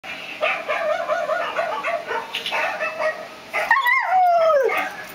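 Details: A mixed-breed dog howling: a run of short wavering, whining yelps, then one long clear tone that slides steadily downward and fades out.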